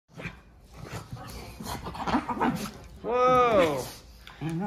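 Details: Basenji play fighting with its brother: muffled scuffling and a person's voice, then a drawn-out yodel-like vocalization with stacked harmonics that rises and falls, followed by a brief lower whine.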